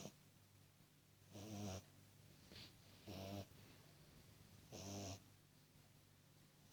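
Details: Cooper, a tiny beagle puppy, snores while asleep: three rasping, droning snores about every one and a half to two seconds, each lasting under half a second, separated by quiet breathing in a still indoor room.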